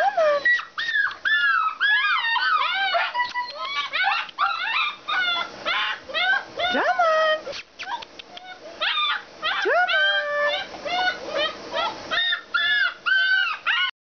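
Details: Alaskan Malamutes at a kennel in a busy mix of yelping howls, whines and yips, many overlapping calls bending in pitch, with a human voice briefly heard among them.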